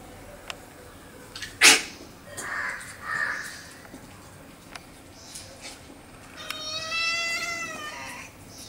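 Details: Domestic cats threatening a friendly new puppy near the house: scattered thumps and brief rustles, then a sustained, wavering, moaning yowl rising and holding near the end.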